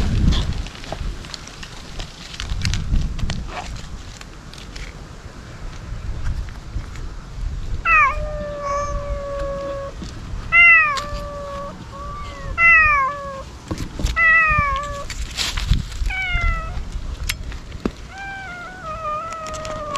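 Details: Stray ear-tipped cats crying at a feeding spot in a ruin-like place, wary but hungry; quiet background for several seconds, then a run of loud, drawn-out meows, each bending down in pitch, with overlapping voices from more than one cat.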